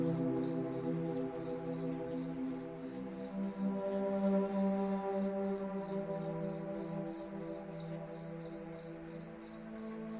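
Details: Cricket chirping at night under moonlight, short high pulsed chirps repeating steadily about three times a second, layered over soft sustained relaxing music drones throughout.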